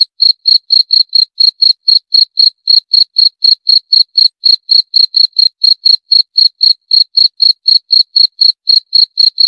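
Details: Continuous cricket song: nearly forty sharp, high-pitched chirps in under ten seconds, a relentless even rhythm of about four per second, each pulse ringing with a thin upper overtone. No other noise is present.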